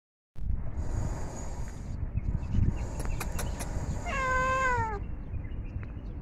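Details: Hungry domestic cat while eating food gives one drawn-out meow late on, falling steadily in pitch with rich harmonics, over a constant low rumbling background noise.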